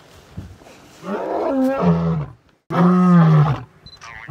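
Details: Male lion roaring twice in succession, deep and resonant with a falling pitch, the second roar shorter and more forceful; a brief faint higher sound follows.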